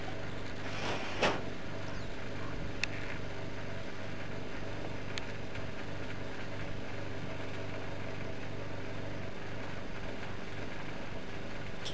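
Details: Steady low mechanical rumble like an engine or vehicle, with a brief knock near the start and no animal sounds.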